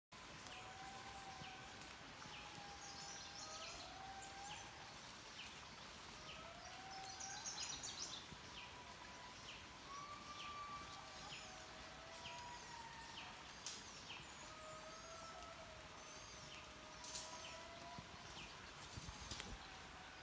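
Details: Several indri lemurs sing in Mantadia-Andasibe National Park, with calls carrying for miles: long wailing tones slide and bend up and down, overlapping voices, over a steady hiss and faint high chirping from smaller creatures.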